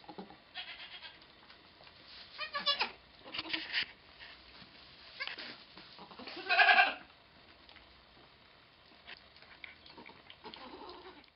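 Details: Goat Pong during the birth of twins on 2/11/11: several short bleats scattered over the recording, one louder cry near the end of the middle, with low background rustling throughout.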